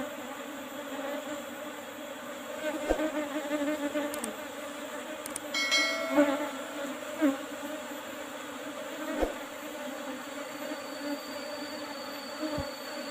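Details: Colony of Apis cerana humming as honey is harvested from an old hive box with a used asbestos lid. A constant droning buzz is heard, with brief tinkling and clattering near the middle and a thin high tone toward the end.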